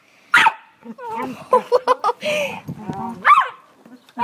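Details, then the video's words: Pet dogs at home making weird noises: a sharp, high yelping whine opens the recording and another rising, wavering yelp comes near the end, with a person talking over the middle. "My mum dogs making weird noise"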